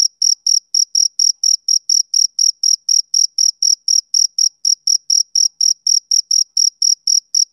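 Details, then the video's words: Rhythmic high-pitched chirps from a male cricket, evenly spaced at around four per second, sustained throughout without background noise. "Cricket Chirping Sound Effect"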